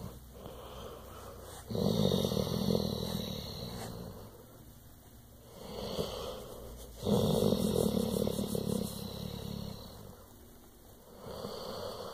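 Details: A pet pit bull makes a purr-like rumble: low, breathy, rattling waves that swell and fade every few seconds over a steady high-pitched background tone.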